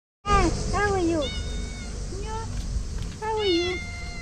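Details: Dirty female cat meowing and purring for food and attention; several clear, drawn-out arched meows rising then falling, three separate bursts across four seconds, over a low steady rumble.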